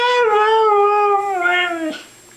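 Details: A dog making a drawn-out, talking-like vocalisation indoors: a sustained tonal howl with stacked harmonics, gently falling in pitch, then a brief rising yelp before it trails off.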